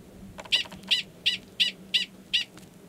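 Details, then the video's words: Gunnison's prairie dog male 45 at Valles Caldera National Preserve, New Mexico, March 2017, calling near the burrow of an estrous female. Six loud, sharp chirps repeated roughly every 0.35 seconds, steady and evenly spaced. "Prairie Dog Mating Call"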